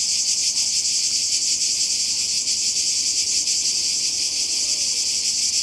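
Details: Cicadas singing near the sea in Croatia, summer 2020: an intense sizzling buzz with a fast tremolo, slightly swelling and easing in strength.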